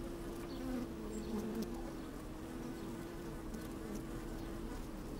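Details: Honey bees busy at work within an open hive, recorded by a microphone lowered into it on a fine day: a continuous humming drone with a steady tone and wandering buzzy pitches rising and falling above it.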